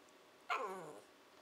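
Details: Shiba Inu puppy Nanako, a 14 to 15 week old female, answers a person indoors with her 'talking', a call that means she wants breakfast or dinner: a loud, half-second harmonic whine that starts high and slides downward, over a quiet background.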